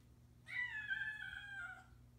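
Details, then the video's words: Bengal cat named Samuel, indoors, meowing to keep its owner informed of where he is and what he's doing: one long drawn-out meow lasting over a second, with a steady harmonic tone that sags slightly at the end, over a faint low hum. "Cutest Meow Ever, Bengal Cat Keeps Owner in the Loop"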